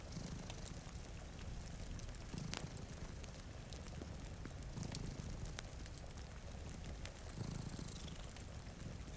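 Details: Low, rumbling purr of cats sleeping beside a rain-streaked window, rising in a few slow swells beneath the crackle and snap of a fireplace and steady rainfall.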